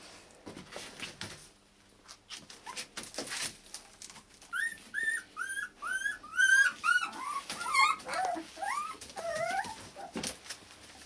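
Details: Akita puppies born 16 November in Hungary, offspring of Kotono Go, a Japan-born Akita, give a run of high, thin whimpering yips, each rising then falling, several per second and growing busier mid-way, indoors with faint background rustling.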